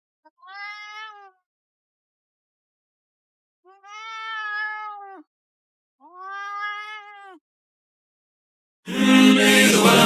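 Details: A pet cat talks back to its owner with three drawn-out, evenly pitched meows, each about a second long and separated by short silences. Loud music then starts abruptly.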